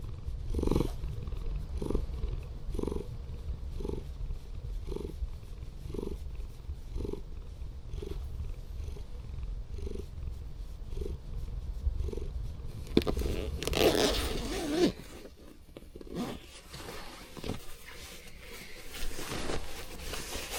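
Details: A former rescue cat, a female Scottish Fold, purrs loudly and affectionately in a van parked overnight at an abandoned port. Rhythmic rumbling pulses about once a second for twelve seconds, then louder rustling and handling noises take over.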